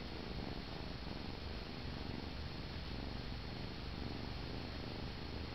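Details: Low, even purring from Paneer, a young male cat being held as he whines himself to sleep; the rumble pulses steadily without breaks.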